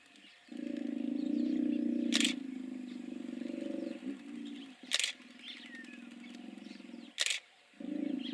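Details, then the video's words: Several hippos give sustained low, throbbing pulsed grunts that run almost without pause. Three sharp clicks cut across the grunting, and faint chirps sound in the background. "Hippos making noise"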